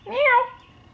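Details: Formerly feral cat, wild for about eight years, trapped and neutered and now being slowly tamed, meows while someone calls it: one loud drawn-out meow of about half a second that rises then falls in a bending tone, followed by quiet.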